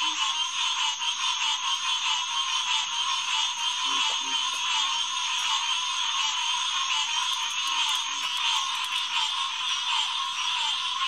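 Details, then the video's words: Green tree frogs calling in a dense night chorus at the Headquarters Pond, St. Marks National Wildlife Refuge, June 2, 2021, around 9–10 pm; a steady wall of overlapping nasal calls, with occasional low croaks beneath. "Green Tree Frog Chorus"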